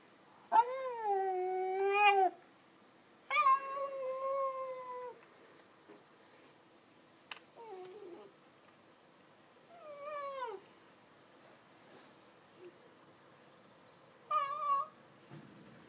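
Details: Pet dog howling to other dogs indoors, not allowed to bark, giving long sustained wavering howls of one to two seconds, separated by pauses, plus short broken yelps in between, in a quiet room.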